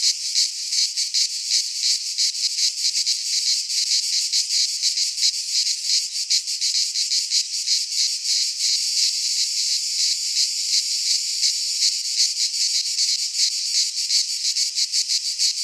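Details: Midsummer chorus of cicadas in a pine forest in Greece, a steady shrill buzz with rapid regular pulsing throughout, unbroken for the whole stretch and free of other noises.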